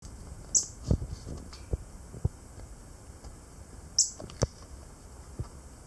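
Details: Jentink's squirrel giving a breeding or territorial display: two sharp, very high chirps about three and a half seconds apart, with scattered low clicks and knocks and a steady background hiss.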